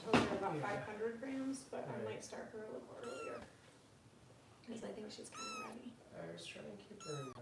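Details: Foster kittens with Kitten Rescue volunteers in Los Angeles during Harper's bottle feeding: three high, thin meows, each rising then falling, spaced about two seconds apart, over a human voice talking indoors.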